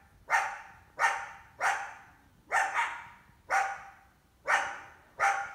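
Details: Female coyote hunting an indoor cat in summer, with at least one big pup; eight loud, abrupt barks about every 0.6 to 0.8 seconds, one doubled, each leaving a short echoing tail.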